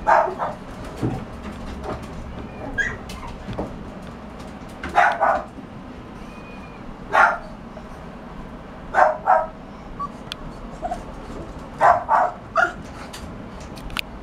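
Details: Bulldog puppy barking: short sharp barks, often in pairs or threes, repeated irregularly every one to three seconds, with soft background noise between.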